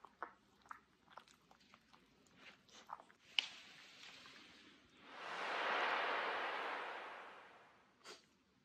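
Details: Miniature Schnauzer brothers Lucky and Levi waking up in a yawning contest, Aroostook County, Maine, July 2021; scattered soft clicks and taps, then one long breathy hiss that swells and fades over about two and a half seconds, ending with a click.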